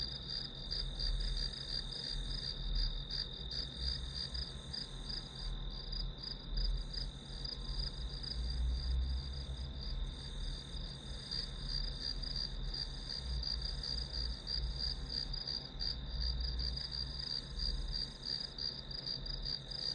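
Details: Background insect chorus from a study recording: high, evenly pulsed chirps run throughout, partly overlaid by louder low rumbling and hum that ebbs and swells.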